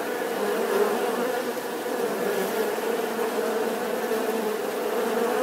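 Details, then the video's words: Steady droning buzz of a bee, low and resonant with overtones, holding constant through the whole short stretch. "Tiếng kêu của con Ong || The sound and picture of the Bee"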